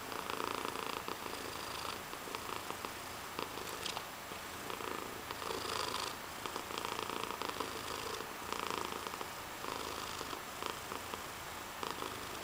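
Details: Cat with giant paws purring close up, a continuous raspy throb swelling and easing with each breath, low and even, nothing else clear behind it.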